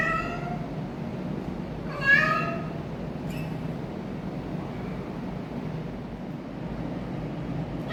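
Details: Orange rescued stray cat making weird noises indoors: a short meow at the start, then a louder wavering meow near two seconds, followed by a click and constant low hum.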